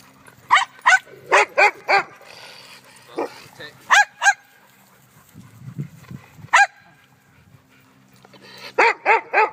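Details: Dogs barking at each other on Thanksgiving: sharp, high barks in quick bursts of two to five, about a dozen in all, with pauses between bursts and a low human voice murmuring in the middle.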